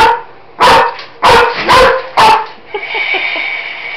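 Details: Roxy, a German Shepherd, barks at a Roboraptor robot dinosaur toy: four loud barks close together, then the toy's mechanical whirring and clicking takes over.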